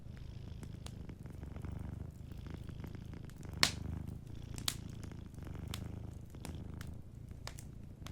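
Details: Gentle purring from a sleeping cat: a deep, continuous throb that swells and eases with each breath, overlaid by frequent crisp fireplace crackles and one loud pop.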